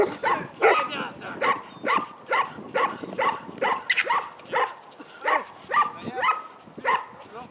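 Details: Beauceron in a training session, giving a steady run of rough, harmonic barks about two each second, short bursts separated by brief gaps, with voices mixed in.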